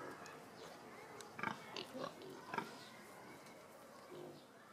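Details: Fat domestic pigs lazing and sunbathing in Görlitz zoo give a few short, harsh grunts over a soft background hum.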